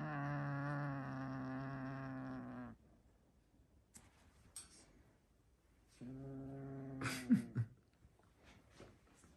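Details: Low rumbling growl from a male house cat refusing to release his toy; a sustained nearly three-second growl, then quiet rustling, then a shorter growl that ends in clattering and knocking sounds.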